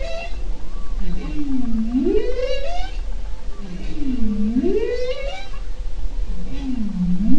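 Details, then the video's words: Bowhead whale in Arctic waters near the Bering Strait, recorded July-August 2010 on a research cruise: a repeated phrase of low swooping moans dipping and rising, repeated about every two and a half seconds, with deep ocean rumble. "Sounds of the Ocean in the Arctic: Bearded Seals, Beluga Whales, Bowhead Whales, Humpback"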